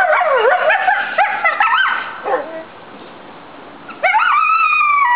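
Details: Captive coyotes at the Virginia Living Museum howl in response to a siren from a neighbouring fire station: a chorus of wavering yips and wails ending in a long rising howl.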